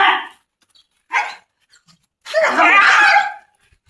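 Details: German Shepherd chained for the first time, giving two short harsh barks followed by a longer, rough, noisy bark lasting about a second, with quiet pauses between them.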